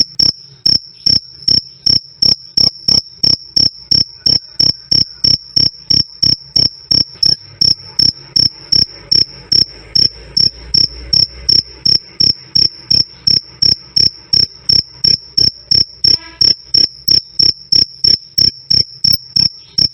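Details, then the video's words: Black and field crickets chirping loud and clear, the steady krik krik kind also meant as night-time sleep sound: evenly spaced shrill pulses about three a second across the whole stretch, with a faint low rumble midway. "Suara Jangkrik "Krik Krik" Keras Dan Jernih"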